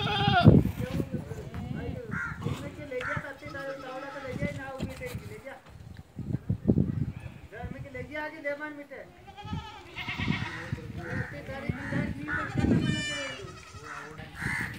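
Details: Barbari and Sojat does, goats that have kidded once or twice, on a farm in Ajmer, Rajasthan; wavering, quavering bleats with a nasal tone come mostly in the second half, over steady men's talk throughout.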